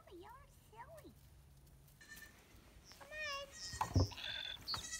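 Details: Bottle-fed baby pygmy goats on a farm, playing alongside a deer: a short wavering bleat with a strong tremor near the end, preceded by faint curving cries and followed by clattering noise.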